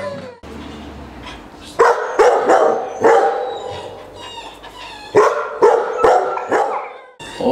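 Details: Akita Inu dog at its first training session in Čačak, Serbia, barking in two clusters of sharp, harmonic-rich barks, several in quick succession, separated by a quieter pause with low background hum.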